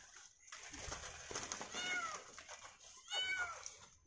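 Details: Kitten trapped atop a tall, thin tree calling with two short, clear meows amid loud rustling, handling noise and voices while a rescuer climbs to save it.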